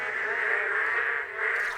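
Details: A dense chorus of male boreal digging frogs calling for mates at a freshly formed puddle on once-dry ground, Misari park, Korea: nasal overlapping calls blending into a steady, throbbing drone.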